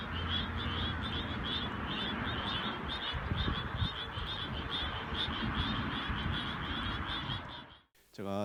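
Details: Endangered Suwon treefrogs recorded by cell phone in the fields at 8 p.m. call with quick, rasping pulses, repeated steadily over a low background rumble; the song is unique to this species.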